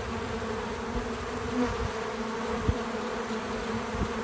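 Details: Natural buzzing of bees visiting a feeder: an unbroken droning hum with even overtone bands, slight wavering as individuals move, and a single faint tap at mid-clip.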